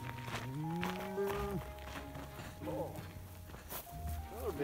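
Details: A cow from a herd of cattle met along the Continental Divide Trail between Yellowstone and Glacier gives a low, rising moo lasting over a second, then a shorter call near the end, with people talking and footsteps.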